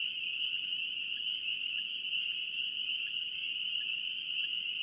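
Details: Massed calls of spring peepers from North Carolina form an unbroken, piercing high ring, a few separate peeps poking through roughly every half second to second against a quiet background.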